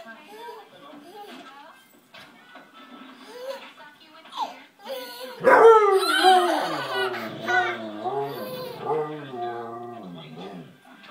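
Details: Siberian Husky named Phoenix playing with a baby in a living room, giving drawn-out, wavering howl-like vocal sounds that rise and fall in pitch through the second half, mixed with a baby's laughter and human voices.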